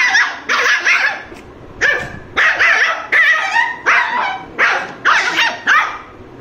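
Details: A Lhasa Apso gives a string of sharp, high barks in quick succession.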